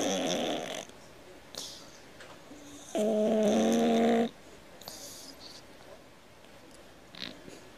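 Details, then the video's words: Pet cat snoring like a grown man: one loud, steady, tonal buzzing snore of about one and a half seconds stands out amid otherwise quiet surroundings with faint clicks. "Кот храпит как мужик"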